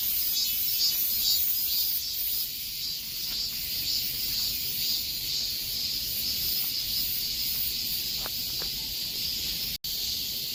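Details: Cicadas in the summer heat: a dense, shimmering buzz fills the high range, throbbing about twice a second in steady waves, with a few faint clicks and one brief dropout near the end.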